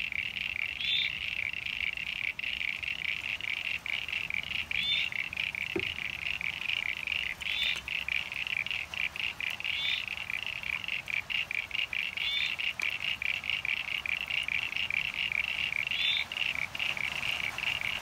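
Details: Mixed pond chorus of common eastern froglets and eastern sign-bearing froglets in NSW, Australia, on 9 September 2022, after heavy rain filled hollows: dense continuous high-pitched trilling creaks, with occasional separate squeaky chirps every few seconds.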